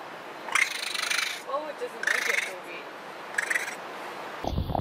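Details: A raccoon chitters in rough, raspy bursts broken by short squeaky chirps, a sound raccoons use when calling their mother or interacting.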